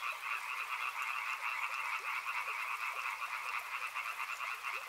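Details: Frogs calling beside a river: a dense, continuous chorus of rapid pulsed trilling, steady and unbroken, forming a shimmering wall of sound with many overlapping callers.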